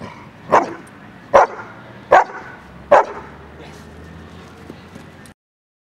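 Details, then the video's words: Dog barking on command during training with a toy reward and a marker word: four sharp, loud single barks spaced under a second apart, then quieter background sounds as the barking stops. "Toy Reward with Marker word for Bark on Command."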